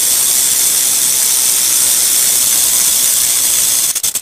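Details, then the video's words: Rattlesnake rattling: a dense, dry, hissing buzz held steadily for about four seconds, then flickering into a few quick stutters before stopping. "Suara Ular Derik"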